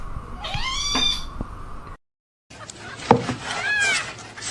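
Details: Domestic cat meowing twice: a clear, drawn-out arching meow, then a shorter rising-and-falling one after a brief silence, over low room hum with faint background noise.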